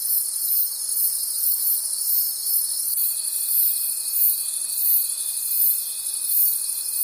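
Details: Forest crickets at night produce an unbroken high-pitched rhythmic trill, swelling in regular beats roughly three per second, while a steady mid-pitched whine joins partway through over a soft insect hum.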